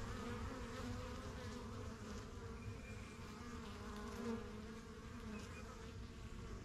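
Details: Steady buzzing from a crowd of honey bees around a backyard yellow hive, the strongest of first hives started spring 2023, bees getting used to the surroundings; layered humming with individual fliers whining past, a faint chirp in the background.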